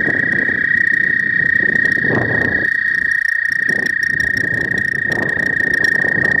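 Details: ['First frogs of spring at a pond, phone recording: an unbroken high trill, rapidly pulsed, dominates over a bed of low rustling noise that briefly dips near the middle.']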